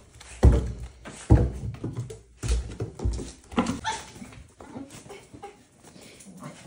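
An Italian greyhound gives short, sharp barks and yelps at irregular intervals in a small room.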